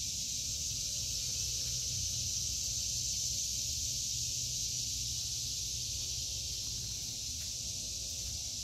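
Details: Cicadas singing over a vegetable garden in August 2023, an intense, even, hiss-like high buzz sustained from start to finish, clearly the main sound with little else beyond faint low background noise.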